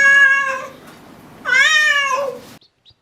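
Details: Domestic cat giving two clear meows: a level, drawn-out first call fading away, then a second meow that rises slightly and falls off at the end. There is a short pause between them.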